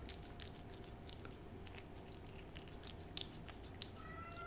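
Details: Pet cat eating a Ciao Churu treat: rapid moist licking clicks and smacks, ending with the start of a faint meow.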